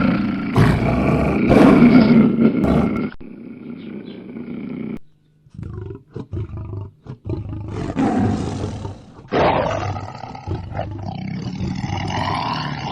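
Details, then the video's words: Lion roar: a loud, harsh, rasping outburst during the first three seconds, then quieter rumbling and scattered noises with abrupt cuts and a brief silence. "Lion Sounds | Powerful sounds of the king of beasts"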